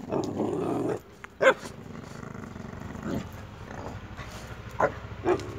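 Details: Boxer dogs, a puppy and an adult, playing actively: a low rumbling growl for the first second, then short sharp barks and yelps scattered through the rest.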